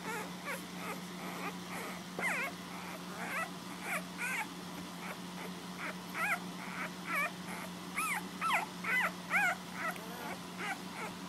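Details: Nursing puppies at home whine continuously. Thin, wavering squeals climb and drop in pitch, grow busier and louder toward the end, and run over a constant low hum.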